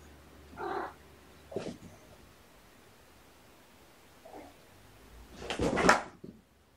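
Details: Cat sounds indoors from a shelter family, mother Olympia and kittens born November 22, still playing chase; short breathy meows near the start, a brief chirp, then a louder harsh wavering cry near the end over a quiet room.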